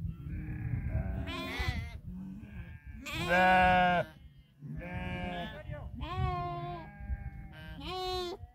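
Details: Flock of 2000 sheep watched over by eight Tibetan Mastiffs in Nepal; several overlapping wavering bleats of varying pitch in quick succession, some high and strained, over steady low rumble.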